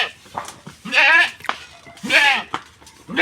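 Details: Village goat in Bangladesh, wandered onto someone else's grass, gives two strong, nasal, quavering bleats about a second apart, each rising then falling, with soft knocks and brief sounds around them.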